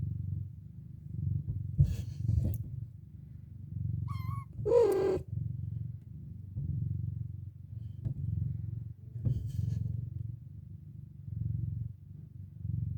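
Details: Domestic cat mother addressing her four kittens as they wake from a nap: a continuous low purr throughout, a short high trilled call in the middle, and scattered light rustles and clicks.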